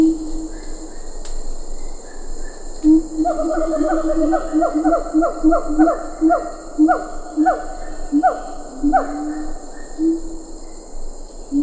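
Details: Siamang calls at Ketambe Forest, lar gibbons faintly behind: low booming notes give way to a rapid run of sharp descending barks, roughly evenly spaced, layered over constant high insect drone.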